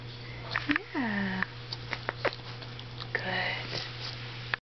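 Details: An adult male Boston Terrier whines in drawn-out, falling tones indoors to show he is unhappy and wants attention, one of his recurring attention-seeking episodes.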